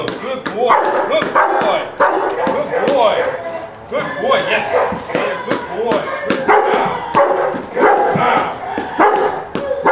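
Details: Young Rottweiler in first-day object-guard training, defending a rubber feed bowl from a decoy; barks come in quick uneven bursts, heavily overlapped by a handler's continuous praise and shouting.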